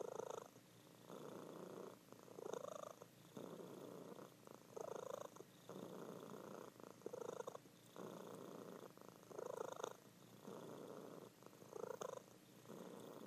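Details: Domestic cat, a female, purring loudly while asleep indoors; rumbling bursts alternate with short quiet gaps, roughly one breath cycle every two seconds, steady and even throughout.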